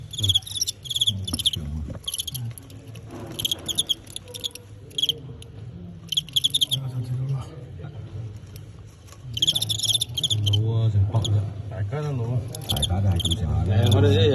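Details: Crickets in a fighting match between Teng County and Qingyuan: repeated bursts of shrill, high chirping, some rapid and stuttering, over a steady low hum with people talking in Cantonese throughout and louder near the end.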